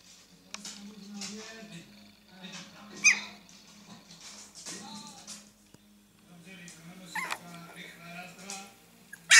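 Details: Fourteen-day-old Staffordshire Bull Terrier puppies giving brief, high, squeaky whimpers, sharpest near three and seven seconds, between soft grunting noises, over a steady low hum with a sudden loud burst at the end.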